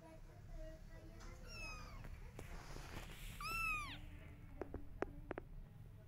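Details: A mother cat meows to get her kittens to follow her: two clear, arching meows, the second louder and longer, then a few sharp clicks and taps over a steady low background hum.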